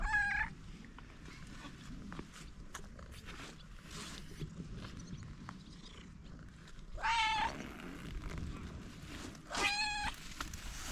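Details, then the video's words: Stray cat outdoors giving three clear, drawn-out meows, one at the start and two close together near the end, separated by quiet stretches with faint rustling and low background rumble. "Stray cat / Уличная кошка"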